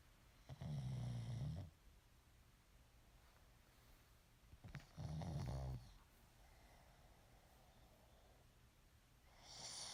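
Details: A sleeping pet pug snores indoors: two low, rumbling, drawn-out snores, each about a second long and roughly four seconds apart, with soft breathing between them in a quiet room.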